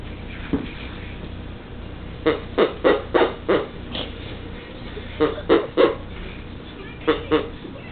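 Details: A Pekingese attacks its new toy before Christmas as the owner tries to wrap it, giving short, gruff barks in quick clusters of three or four.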